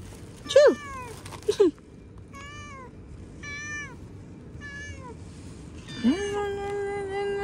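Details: Domestic cat outdoors near a tree, meowing while being offered food: two sharp high meows, then several shorter bent meows about a second apart, ending in one long drawn-out level meow; faint outdoor background.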